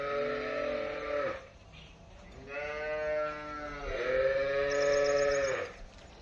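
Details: Cattle on a dairy farm, with a Holstein Friesian cow named as the featured animal, give three loud harmonic moos in a row, each sustained about a second before falling off. A man talks about milk yield between them.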